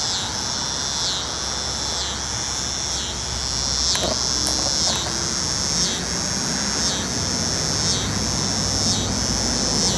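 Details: Three North Carolina cicada species (Neotibicen winnemanna, N. robinsonianus, N. auletes) give a loud, high, continuous buzz, swelling in a steady pulse about once a second; finding: cicada.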